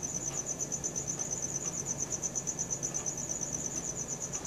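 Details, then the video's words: Cricket chirping at night, recorded on a Samsung Galaxy S4: a steady high-pitched pulsing trill, about three pulses per second, continuous throughout, over a faint low hum. "CRICKET SOUNDS | RELAXING SOUNDS OF NATURE AT NIGHT"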